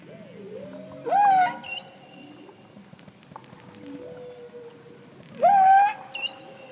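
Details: A male humpback whale off Hawaii, recorded by hydrophone singing near a boat, sings the first theme of his song, repeating a rising, moaning unit rich in overtones about every four seconds.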